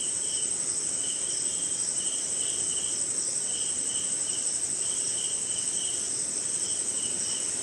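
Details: Night insect chorus led by crickets during brief rain somewhere in India: an unbroken shrill high tone layered with lower, grouped chirps pulsing in irregular bursts, with gentle rainfall hiss beneath.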